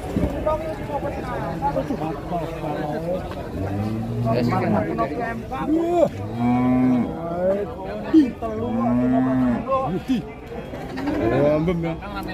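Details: Limousin Belgian cattle lowing: a run of overlapping deep moos from several animals, each a steady, drawn-out bellow about a second long, with a higher, rising call near the middle and a busy background of shuffling and other cattle.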